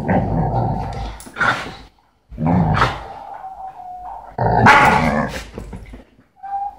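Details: Dogs on a sofa give three loud, harsh bark bursts roughly two seconds apart, with a thin, steady whine held between them.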